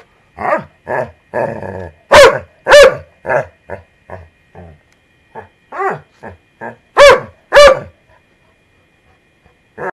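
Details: Golden Retriever puppy barking while getting worked up during play with another dog indoors; a burst of sharp, loud barks, mostly short and clipped with a few longer yelping ones, roughly two per second with brief pauses between clusters.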